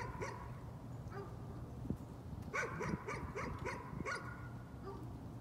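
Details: Nuisance barking from a dog: scattered then clustered sharp barks, several in quick succession midway, over a steady low hum.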